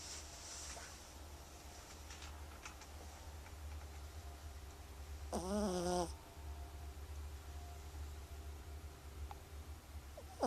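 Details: A single rough, buzzy snore from Lotus the cat rises midway through, about a second long, against steady low indoor hum and faint ticks.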